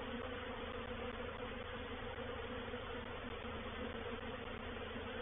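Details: Honey bees swarming into a bait hive at Painted Peacock Manor, 04/07/21, during a reproductive swarm. A loud, continuous, even drone of countless bees, steady from start to finish.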